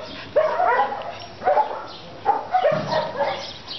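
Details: Ariel, a pet dog, with other dogs: four short, sharp yappy barks spaced about a second apart, each bright and slightly tonal, over low background noise.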